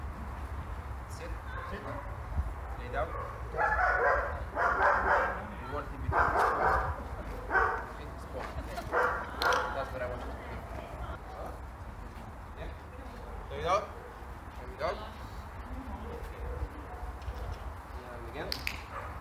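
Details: German Shepherd named Saber, excited on being reunited with his owner after just over two weeks apart: a cluster of loud, harsh barks and yelping bursts in the middle stretch, fading to sparser yips, with a man talking throughout.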